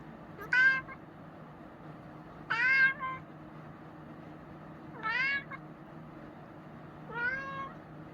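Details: Chinchilla cat meowing indoors: four clear, drawn-out meows with a falling-then-rising tone, spaced about two seconds apart, over a low steady background hum.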